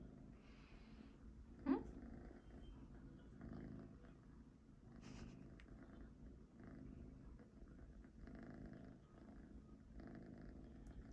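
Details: House cat with a quiet, steady low purr running throughout, a sharp short sound near the start, and faint background rustling.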